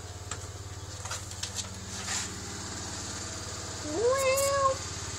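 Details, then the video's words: Domestic cat, one of two cats being made to talk to each other, gives one drawn-out rising meow near the end over a loud rhythmic mechanical hum and scattered clicks. "Cats talking to eachother"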